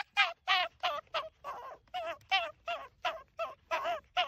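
An excited Arctic fox gives a rapid run of wavering, yelping chatter notes, about three each second.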